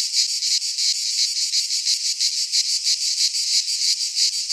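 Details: Greek pine-forest cicadas in high summer, their searing buzz pulsing in even beats about three times a second over an unbroken high hiss.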